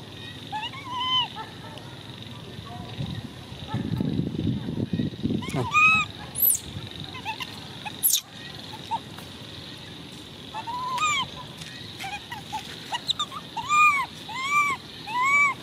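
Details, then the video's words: Screams from baby monkey Coco: a long series of brief, arched, squealing calls, rising and dropping, come in bursts of two or three with short pauses between, alongside a rustling scuffle and scattered clatter. "Baby Coco is good at screaming"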